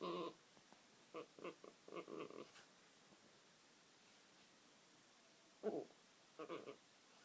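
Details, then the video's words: A French bulldog makes soft, throaty cooing grunts like a pigeon, in quick clusters of three to five short notes, begging because she thinks there's food on the table, in a quiet room. "Dog making a pigeon noise?"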